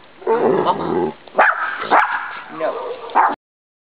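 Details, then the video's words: Pet dog named Milo Bean vocalising on request in a "mama"-like way: throaty, voiced, talk-like growls and moans in several pulses with wavering pitch, spread over about three seconds, then cut off to silence. "OUR DOG CAN TALK!!!!!!"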